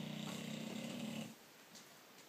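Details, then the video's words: George, a pet British Bulldog, snoring indoors: a single rough, buzzy snore with a low droning tone lasts just over a second, then fades into near silence. "British bulldog George snoring"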